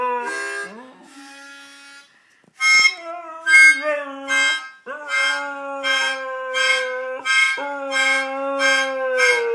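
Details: A Siberian Husky "sings" along to a Christmas song, howling in long, wavering tones over a harmonica-like tune.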